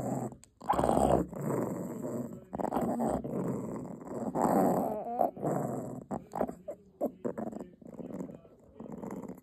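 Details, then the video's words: Possessive puppy guarding its dog chew, growling in low rumbling bursts that rise and fall over several seconds, with short pauses between, over background music. "개껌 지키는 강아지"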